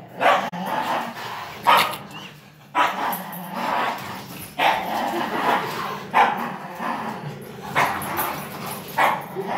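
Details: A young German Shepherd, 9 months old, and a 5-year-old Min Pin at tug of war; irregular bursts of barking and yips over continuous low growling and play noise, some barks closely spaced.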